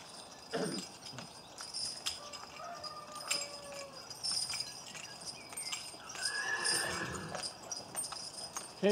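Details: Shire horse being walked around a training area gives a brief whinny with harmonic, wavering tones late in the recording, mixed with clip-clop of hooves on hard ground and a person talking nearby.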